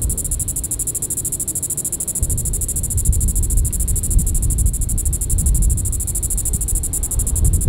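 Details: Diceroprocta vitripennis cicada calling on a July 20, 2014 evening in Sand Hills State Park, Reno County, Kansas. A continuous high, pulsing buzz sits under heavy low-pitched rumbling noise that swells after the first two seconds.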